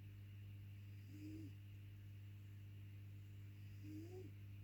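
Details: Snoring of Boycie, a very feral ginger cat: two faint nasal whistles, each rising then dipping, almost three seconds apart, with a constant mains hum underneath.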